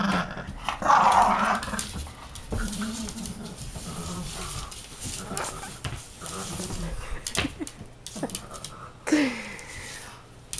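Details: Two pet dogs, Timmy, a 4-month-old Great Dane, and Mosley, a 1-year-old Boston Terrier, fighting over their toys indoors; low rumbling growls come in repeated bursts, with a person talking to them and a short high squeal near the end.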